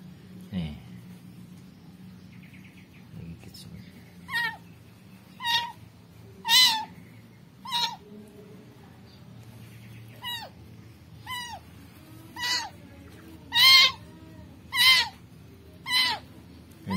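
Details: Rescued kitten giving repeated thin, high meows roughly every second after a quiet start with a low thump, the cries growing louder toward the end.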